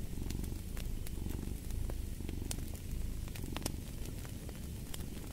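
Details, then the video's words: Close, rich purring from a cat, a dense low rumble that surges in rhythmic breaths, accompanied by scattered crackling of a fireplace. "Purring of a Cat"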